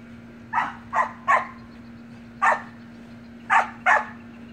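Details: Playful Samoyed puppy barks from siblings romping in a pool: a quick run of three sharp yips, a lone bark, then a closing pair, all high and bright above a steady background hum.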